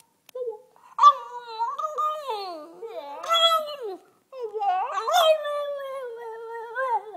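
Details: Relaxed two-year-old French bulldog 'singing' in conversation indoors: wavering, yodel-like tonal howls bending up and down, three phrases separated by short pauses, the last long and slowly falling.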